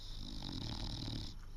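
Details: Awake English Bulldog with one eye open snores in a deep, gravelly, growl-like rumble, a dense run of throaty pulses over a breathy hiss, briefly easing near the end.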